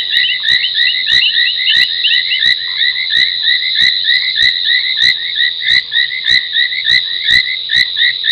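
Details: Night chorus at a South African waterhole, Gowrie dam in Djuma Game Reserve, Sabi Sand, where foam nest tree frogs call at 23:46 on 30 January 2021. Overlapping shrill chirps run without pause, cut by dry clicks roughly twice a second.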